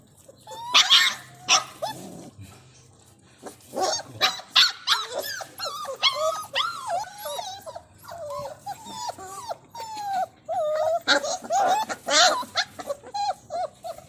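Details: Dogs whimpering and yipping in a string of high, wavering, bending whines and short yelps, at times rising into sharper cries, with brief gaps between bursts.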